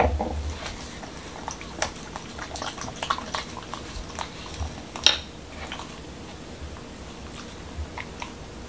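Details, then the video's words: Momo, a male Pembroke Welsh Corgi in Washington DC, eats a dog-friendly taco of whole wheat shell, cucumber and lean ground beef indoors: scattered crisp crunches and wet smacks, louder bites near the start and at five seconds, then quieter chewing. "Dog Eating Tacos| Dog Food Reviews |Corgi Mukbang"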